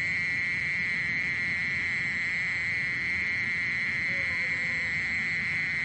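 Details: Steady trilling song of a mole cricket, one high buzzy tone held without a break, with low background rumble and a faint brief squeak late on.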